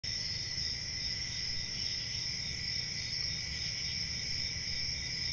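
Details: Crickets at night, a dense chorus of high, steady trilling forming unbroken shrill bands with a lower buzzing layer beneath, plus a faint low rumble throughout.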